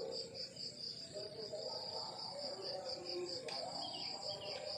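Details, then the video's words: Countryside crickets at morning, a high, rhythmic chirp pulsing several times per second without pause, with a brief sharp click midway and faint chirps from other creatures behind a quiet low background hiss. "The beautiful sound of crickets chirping in the countryside in the morning"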